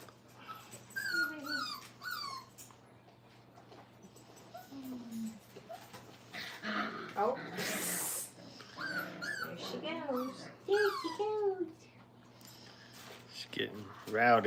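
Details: Five-week-old Brittany puppies learning crate training in a kennel: thin, high whimpers and whines that bend up and down, scattered irregularly through the recording, with human voices talking over them at times.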